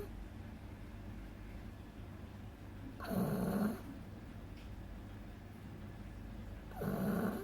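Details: Agatha, a two-month-old beagle puppy, snores quite loudly while asleep. Two rough, breathy snores come about four seconds apart against a low steady background hum.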